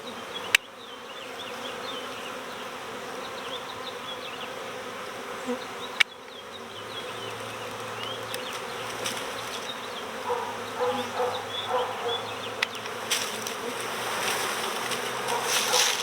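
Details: Honeybee swarm recovered next door at swarm season, bees clustered in a bush and fanning at a box entrance; a continuous low droning hum with a few sharp clicks and louder buzzing passes near the end.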